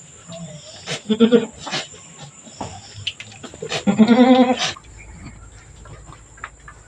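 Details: Goat on a small farm, the doe Mama Brown having just given birth to two kids, a black female and a brown male; two wavering, quavering bleats about three seconds apart, with a person talking softly nearby.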